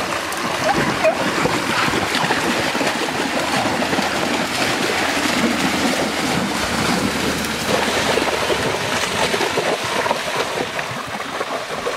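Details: Continuous splashing and rushing stream water fill the scene, with no barks or other animal calls.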